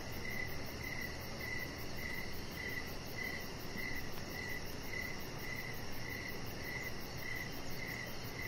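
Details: Evening crickets heard from a deck where a chihuahua puppy lies under decoration lights. Bright chirps pulse in a steady run, roughly two per second, above a continuous low rumble and a thin high-pitched ticking layer.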